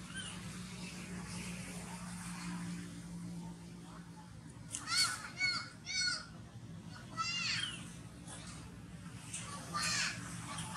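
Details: Baby monkey Toni crying after falling into a ditch and hitting the ground when its mother caught its tail; a burst of short wavering high squeals, several in quick succession midway, over a steady low hum.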